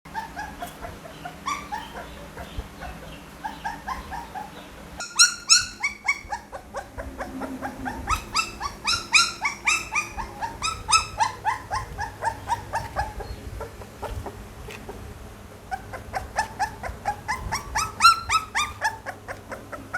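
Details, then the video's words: Pit Bull puppies giving dense, overlapping high-pitched whimpers and yips, many short rising-falling squeals piling over one another, with a steady low hum beneath. "เสียงหมาน้อย ลูกพิทบูล"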